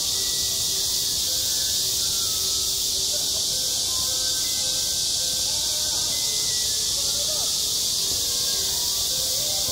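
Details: Cicadas buzz continuously in summer on a school playground, a high steady shimmering drone, while faint sustained lower tones sound in the background.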